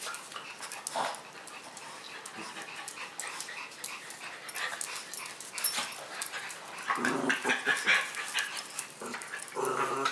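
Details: Pet dogs, a Husky-Shepherd mix, an orange fox-face Pomeranian and a Miniature Schnauzer, indoors on the floor during play and treats; high thin whines and short yips come in irregular bursts, with a woman's voice and rustling.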